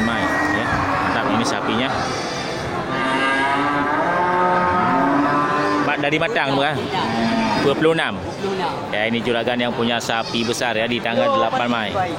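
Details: Local cattle, large bulls ready for slaughter, at the Geulumpang Payong livestock market on 8 May 2021; long, deep harmonic moos drawn out over the first six seconds, then shorter lowing calls amid market chatter and human voices.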